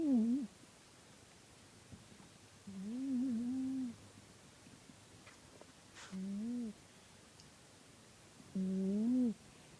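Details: Porchcat, a domestic cat, snoring while asleep indoors: low tonal, slightly wavering hums, each about a second long, returning roughly every three seconds with quiet gaps between, in a still small room.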